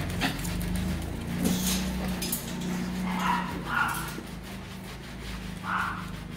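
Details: Rottweiler at the Gervi kennel in Vietnam greeting its owner home after three days away: a few short, high whimpers, spaced apart, under a steady low hum, with people talking and handling noises.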